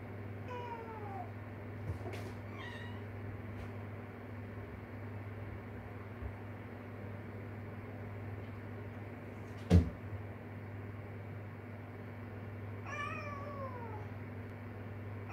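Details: Street-cat kitten calling for its mother, who is raising her young: three separate meows spread across the recording, each a clear falling wail with bright harmonics, over a steady low hum and a sharp knock midway.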